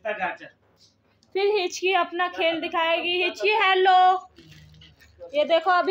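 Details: Siberian husky puppy calling its mother for food: drawn-out, wavering whine-howls with a rich harmonic tone, sustained for several seconds with short breaks between, followed by a brief closing outburst.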